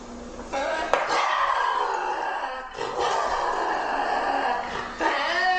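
A lynx calls in long, moaning yowls that swell and sag in pitch, each lasting a second or more. The cries come in a loose series with brief gaps between them.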